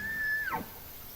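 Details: A bull elk bugles during the breeding season to attract females and assert dominance over rival males: a high, steady whistle that slides sharply down into a low, breathy groan.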